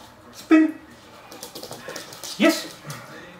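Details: Weimaraner puppy during one of his first basic obedience training sessions gives two short, sharp yips about two seconds apart, each a bright harmonic burst, with a person's soft speech in between.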